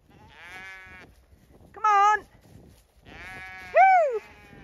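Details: Zwartbles lambs in a flock on a regenerative farm in County Kilkenny, Ireland, called toward a newly opened gate; several bleats, some distant and flat, one loud bleat with a steady wavering tone, and a final loud call that rises and falls.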